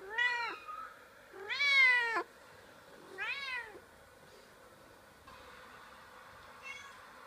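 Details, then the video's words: House cat reacting to other cats heard on a computer with three strong, rising-falling harmonic meows in quick succession, the middle one longest, followed by quieter room noise and a faint final call. "Funny cat meowing while hearing other cats on the computer"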